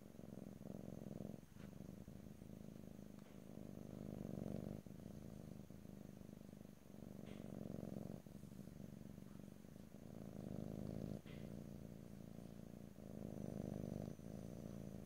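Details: Long stretch of a domestic cat's purr recorded up close in stereo, a low throbbing rumble in waves with short pauses every one to two seconds as the cat breathes; no talking.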